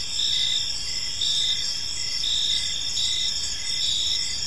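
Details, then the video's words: Chirping crickets in a park at evening, a high continuous insect chorus with pulsed swells roughly once per second over quiet low background noise. "Park Serenade: Cricket Sounds in a Peaceful Park | Evening Ambience"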